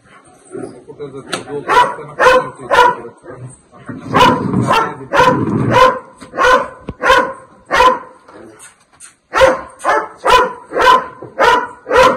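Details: Dog barking while confronting a Russell's viper: loud, sharp barks repeated roughly every half second in steady runs, with a brief pause midway, and Marathi-speaking men talking in the background.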